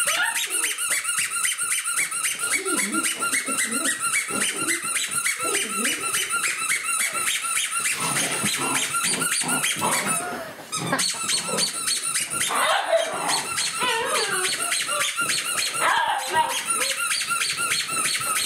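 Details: A litter of ten-week-old puppies, the Ace-Lexus litter, mob a person indoors; a steady stream of shrill rapid squeaks runs throughout, with rising and falling whimpering whines and scuffling in a small room.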